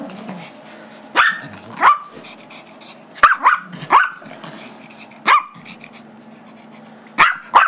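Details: Five-year-old Chihuahua/Yorkie mix named Gizmo yapping while the two dogs play tug with a squeaky toy he wants; short shrill barks, some in quick pairs, spaced irregularly about a second or more apart, with soft growling and rustling between.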